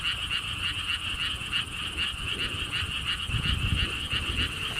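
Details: Frog chorus at the lotus pond park in Siheung, Korea: quick, evenly pulsed croaking notes overlapping steadily, with gusty wind noise rumbling low in the background.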